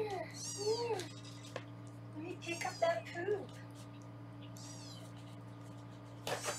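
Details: During weighing at a Los Angeles foster room, kittens let out shrill, arching meows in quick pairs, alongside a woman's soft murmured speech, ending in a clatter, with a low hum throughout.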